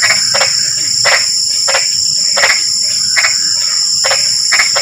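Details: Drizzling-rain frog calls: a few loud, harsh croaks spaced about half a second to a second apart, under a continuous whining insect background.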